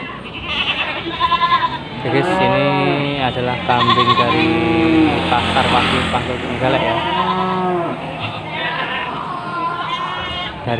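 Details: Javanese and Etawah goats packed on a full pickup in a market car park in Panggul, Trenggalek, Indonesia, giving quivering, harmonic-rich bleats in quick succession over a man talking and background market noise.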